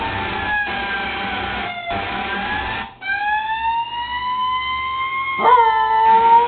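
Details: Peanut, a pet dog, howling along with a passing fire truck siren: long sustained tonal wails with stacked harmonics, a break near three seconds, then a rising howl with a sharp pitch jump before the end.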